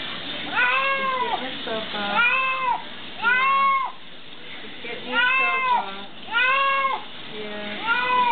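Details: Bathing pet cat very vocal about its wash, crying continuously; a series of about seven arched, whining meows roughly one per second, loud and even, with small mutters in between.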